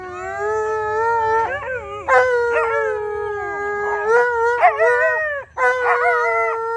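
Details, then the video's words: Alaskan Malamutes Tonka and Monroe howling together on St Patrick's Day: long, steady, tonal howls with rich harmonics, overlapping voices that rise and dip with brief yips and wavering breaks between sustained notes. "Tonka & Monroe Howling"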